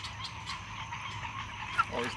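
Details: Bullfrogs at a tiny backyard pond at night give a pulsing, overlapping chorus of throaty croaks, starting up suddenly from near silence and sounding like a flock of geese.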